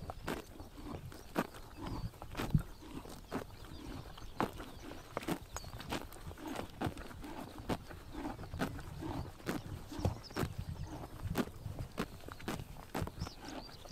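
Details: Summer morning in Mongolia, horses cropping grass in the sun: a steady run of crisp ripping bites, roughly two each second, with low chewing thuds between them and a quiet rural backdrop.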